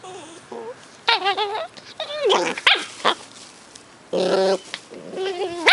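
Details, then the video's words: Two 10-week-old Cardigan Welsh Corgi puppies, brother and sister, in Adelaide, South Australia, yip, whine and give high wavering squeals in short bursts. "Cute puppy noises (Cardigan Welsh Corgi's Fos and Ebo at 10 weeks)"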